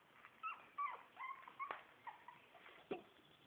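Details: Four-week-old Shih Tzu puppies from litter A give a short run of thin, squeaky whimpers, each whine sliding down in pitch, with a few soft yelps between them.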